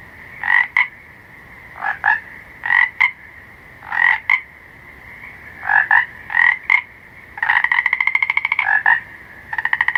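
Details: Frogs at night giving short nasal croaks, many followed by a brief click-like note, in loose clusters every second or so, with a rapid pulsed rattling trill near the end; steady background hum.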